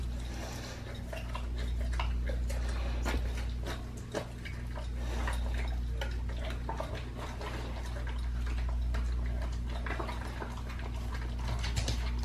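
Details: Pit bull on a raw-feeding diet crunching through a raw leg of lamb, giving fairly regular wet clicks and crunches, nearly four a second, above a low steady hum.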